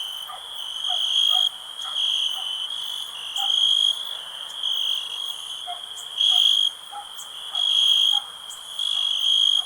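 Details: Shrill cricket chirping pulses in loud bouts of about a second, alternating with quieter stretches of the same ringing tone, while faint, softer, lower blips sound in the background.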